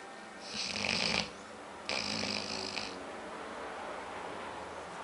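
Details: Aila, a female pet dog nicknamed Lalá, asleep and dreaming indoors, her eyes moving fast as if she wants to run; two rasping snores, each about a second long, separated by a short pause, over a quiet room hum.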